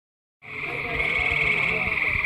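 A gray treefrog gives a loud, steady, musical trill of rapid pulses.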